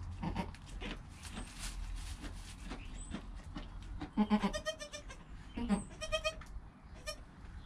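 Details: Newborn goat kid less than an hour old with its mother: low rumbling and rustling noise, then a cluster of short, tremulous bleats in the second half, some soft and low, others higher and thin.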